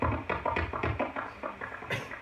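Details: Common pipistrelle echolocation heard through a bat detector: rapid, wet, bubbly pulses like bubbles popping in mud, compared against a bigger species' call.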